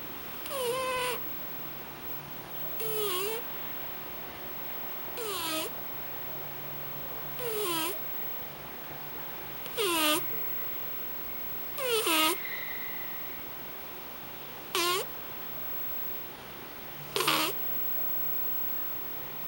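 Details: A pet cat snoring loudly indoors. Each breath gives a wheezy, whistling snore with a drooping tone, repeated regularly about every two and a half seconds, eight times, with quiet hiss between.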